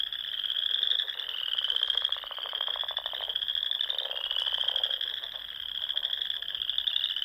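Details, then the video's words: Wild frogs singing in spring among the ponds and small lakes of the Nebraska Sandhills at dusk: a steady high trilling chorus with fainter, lower pulsed croaks rising and falling underneath. "RELAXING SOUNDS OF FROGS"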